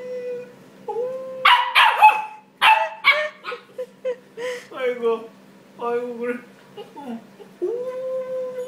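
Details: Pembroke Welsh corgi puppy, three months old, playful and prone to jumping and biting, mixing sharp yips and noisy bursts with drawn-out tonal whines and a closing sustained howl-like note.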